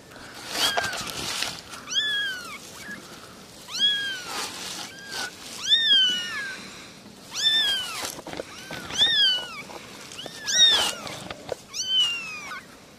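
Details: Three little kittens meowing: high, thin mews that arch up then slide down, repeated about every one to two seconds, some overlapping, with soft background rustling between calls.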